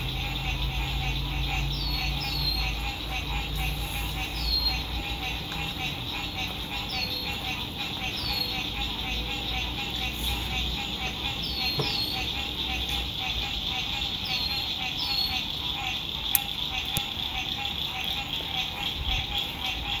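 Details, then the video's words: Sunset frog songs by a lake in spring 2021 at a campsite in good weather: an unbroken throbbing trill chorus, with repeated short high descending bird notes scattered through it and a low hum early on. "Sunset Frog Songs"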